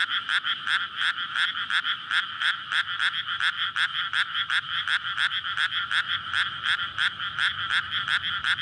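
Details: Many frogs in a May rice paddy, flooded before planting, courting at night; recorded on a SONY PCM-D100. Harsh, bright croaks pulse quickly and steadily in overlapping bursts, loud from start to finish, with a soft low hum underneath.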